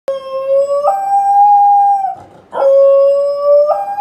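A corgi howls twice with a steady, wavering tone that jumps to a higher pitch near the end of each note. A brief pause for breath separates the two drawn-out, wolf-like howls.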